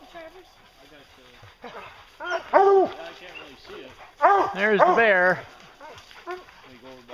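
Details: Bear-hunting hounds: after a quiet start, drawn-out wavering bays swell up around the middle and again later, each held for a second or so, with fainter barks trailing off at the end.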